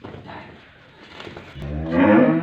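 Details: A big Dutch Friesian cow, offered for sale near Pakpattan and said to give 40 kg of milk a day, lets out one low moo near the end. It swells in loudness and pitch after faint murmuring background noise.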